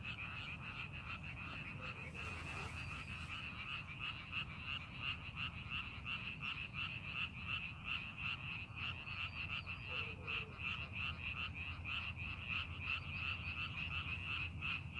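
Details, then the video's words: Many frogs croaking together in a rice field being readied for farming, fast pulsed calls running continuously at roughly three per second, with a short noisy burst early on and steady low background hum. "논에서 개구리 울음소리"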